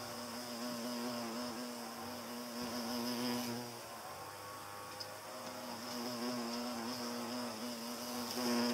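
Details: Hornet chasing away butterflies, its wingbeat a low steady droning buzz with stacked harmonics, swelling and fading over about nine seconds as it flies near and away, with a faint steady high hiss behind.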